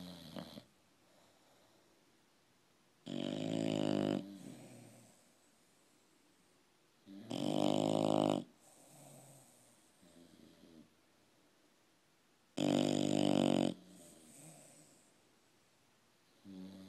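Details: Two English Bulldogs sleeping together; snoring is heard, loud, in long, rasping bursts about every four to five seconds.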